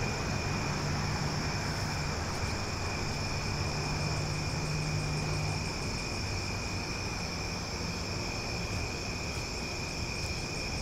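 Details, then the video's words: Cicadas singing loudly at night in summer in Omaha, a steady shrill drone holding several high even tones, with a fast pulsing ticking on top, over a low rumble like distant traffic. "Cicada Sounds for Sleep"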